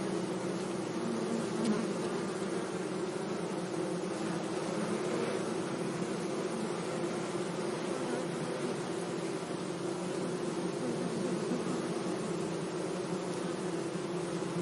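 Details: Steady hum of bees among flowers in a sunny meadow, a low continuous buzz with slight rises as insects fly near.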